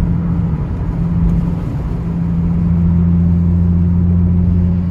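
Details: Loud, steady car engine drone with a low humming tone and no animal sound.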